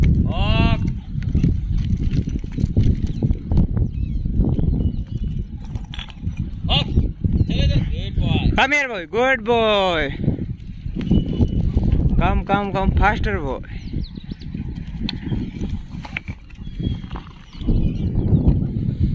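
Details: Kenneled dogs at a Jodhpur dog hostel, 22 May 2022, give clustered yelps and barks with falling, whining tones, in bursts near the start, middle and later, over heavy low-pitched background noise and human voices.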